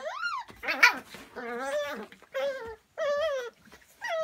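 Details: Lagotto Romagnolo dogs, the Italian water dog breed, from a breeding kennel, recorded February 2017: a run of high, tonal whines that rise and fall, each drawn out about half a second, separated by short gaps, indoors with a brief noisy burst.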